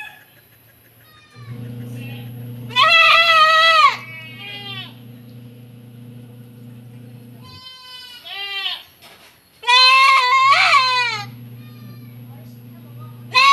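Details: Young goat kids on a farm in the Philippines, being given B-complex injections of 1 ml; loud harmonic wavering bleats in two main bursts near three and ten seconds, with a steady low hum and background music.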